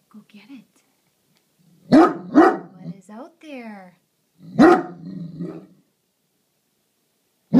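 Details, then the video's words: Great Dane watching over the house, barking at a garbage can: a few deep single barks in short bursts around two and five seconds, with a woman's voice urging the dog on between them. "Great Dane watchdog"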